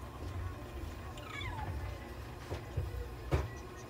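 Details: Bengal cat named Belle meowing during inhalation and oxygen therapy at a veterinary clinic in Nagoya: one falling, drawn-out meow early on, faint and partly masked by a steady low machine hum, with a few soft clicks and thumps.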